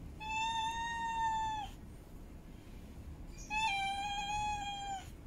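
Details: Female cat in heat calling to mate: two long, level, nasal meows of about one and a half seconds each, separated by a short pause, full of harmonics and free of other sounds.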